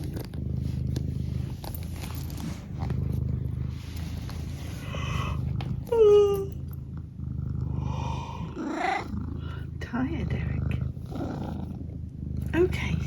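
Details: Eric, a pet cat, purring in a steady low rumble, with one short falling mrrp-like call in the middle and a person talking softly to him throughout.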